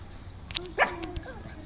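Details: Pug named Alfa, a pet dog meeting a new dog friend, gives a single short, sharp bark near the middle, with soft Russian speech around it telling her this is her friend.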